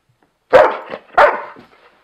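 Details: Keegan the Airedale Terrier, pulling a furry windscreen off a camera microphone, gives two loud, rough barks about half a second apart, each trailing off.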